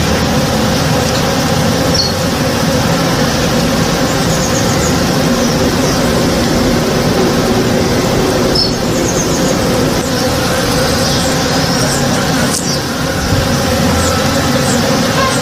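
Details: Many western honey bees (Apis mellifera) working a blooming backyard tree in the morning, a steady, dense, low unbroken drone of buzzing.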